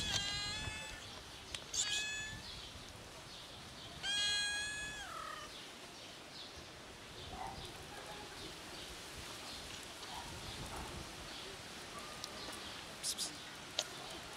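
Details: Tiny black kitten, pregnant and unwell, gives two clear harmonic meows: a short one at the start, then a longer, louder cry around four seconds that drops in pitch at its end, over a soft background of faint chirps and rustling.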